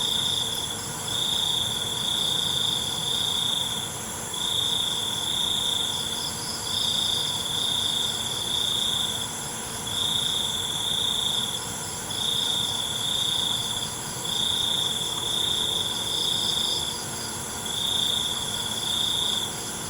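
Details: Nighttime cricket chorus: loud, even trills last one to two seconds each, separated by brief gaps, with a quieter beating buzz above and a constant high hiss.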